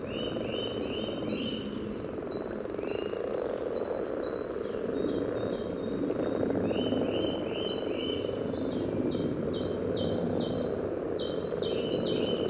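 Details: Common frogs calling at a spawning site by the yellow trail in Sunnersta, Uppsala, recorded just above the water with a parabolic microphone: a dense, low, murmuring purr throughout, overlaid by a bird's repeated high whistled notes.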